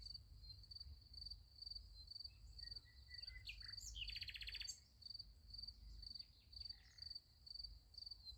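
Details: Crickets calling at night next to a sunflower field: shrill pulsed chirps repeating about twice a second, interrupted around the middle by a loud, rapid bird trill, with low rumble beneath.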